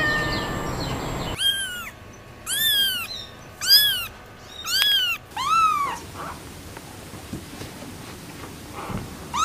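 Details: Pet cat uttering five loud, arched meows in a run about every second, the last one lower and longer, then fading into soft faint calls and room noise.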